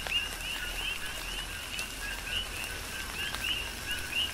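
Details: Coqui frogs on Hawaii's Big Island in a rain shower, calls sparser here: distinct rising 'co-kee' whistles ring out every half second or so above a fainter continuous chorus, with rain hiss and occasional drip clicks.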